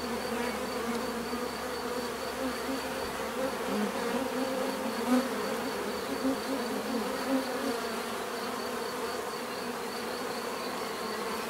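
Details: Many bees in a natural setting give a steady, dense buzzing drone that fills the whole recording, with low hum bands and brief louder passes as single bees fly close near five and seven seconds.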